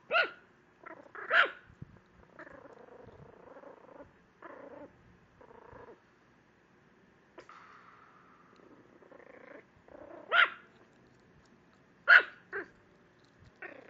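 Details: ['Protective female Chihuahua barking at a computer screen: scattered sharp high yaps spaced a few seconds apart, with murmuring and tonal whines in between.']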